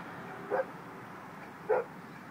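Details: A dog at a post office gives two short, sharp barks about a second apart over steady indoor background hum.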